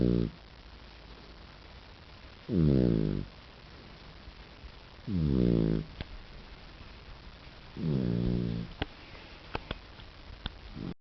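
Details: A guide dog puppy snores in its sleep, loud low rasping breaths roughly every two and a half seconds, four full snores, a few faint ticks in between.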